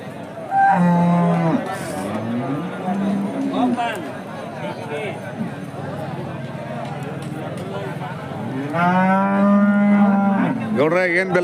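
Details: Hallikar cattle at a temple cow market in India, mooing: a long low moo near the start and another drawn-out moo late on, with steady market murmur and voices in between.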